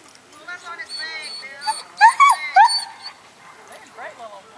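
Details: A 3-month-old Weimaraner puppy gives high, arching yips and whines in short bursts, with a voice possibly nearby.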